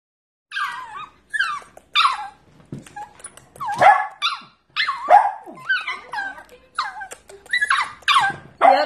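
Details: Corgi puppies giving a run of high, rising-then-falling yips and whiny barks, about a dozen short bursts in quick succession with brief gaps, some cries squeaky and drawn out, with small room echo.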